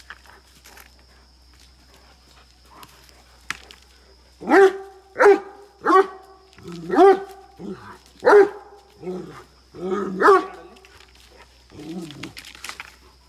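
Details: Aggressive barking from Rana, a Great Dane kept on a farm in Chikkamagaluru, Karnataka, India, with a Mudhol Hound: after brief human speech, seven deep, sharp barks come roughly once a second, the last ones softer and lower.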